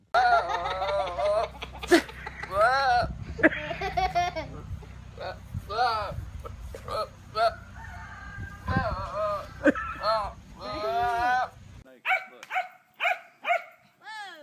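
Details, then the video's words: Goats in a funny compilation of 'talking' goats: loud, wavering, human-like bleats with quivering pitch, repeated in bursts, then a run of short sharp calls near the end. "Talking animals. Crazy Goats! Funny goats!"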